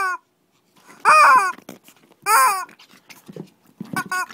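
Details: Shih Tzu dogs in a playful mini fight in Kochi, Japan, indoors: sharp harmonic yelps in short bursts around one and two and a half seconds, with low growls and snuffling between.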